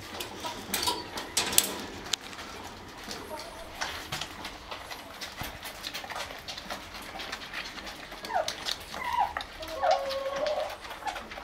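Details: White Shih Tzu puppies, aged 1 month and 28 days, with their mother at milk time on 05/08/2020. Brief high whimpers, some rising, come near the end over a steady patter of clicking, lapping-like sounds.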